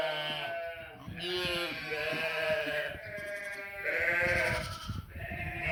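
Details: Sheep and cute lambs make noise with continuous overlapping bleats, several voices wavering and quavering one after another with hardly a pause, over a faint rustling background.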